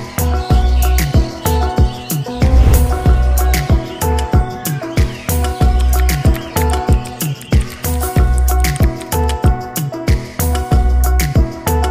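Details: Loud music with a heavy bass beat and steady melodic tones throughout, with no animal voice clearly standing out.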